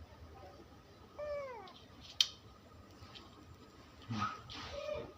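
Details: Indoor cat in Bangladesh giving a single brief falling meow, followed by a sharp click and later soft rustling and handling noises.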